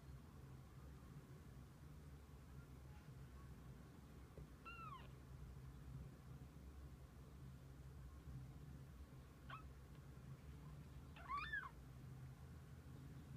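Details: Kittens with their mother cat through the day: a few thin, high meows, one arching at about five seconds and a pair near the end, over a steady low background hum.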